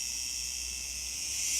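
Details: A loud, unbroken shrill buzz from masses of cicadas filling a villa garden on Gozo, their volume at times deafening; the sound is constant and high-pitched, with nothing else clearly heard.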